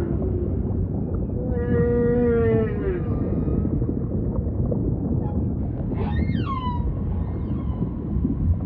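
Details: Humpback whale song with ocean ambience: a strong buzzy harmonic moan that falls slightly, a pause, then sharp rising-and-falling whoops that slide down into a long drawn-out tone, all above a rumbling low backdrop.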